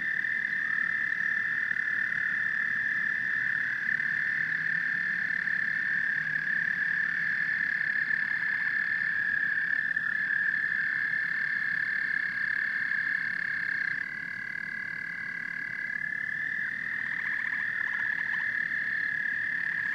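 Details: Steady massed calling of frogs and toads: several overlapping high trills merge into one sustained ringing drone, with occasional sliding notes and a faint low grumble of croaks below.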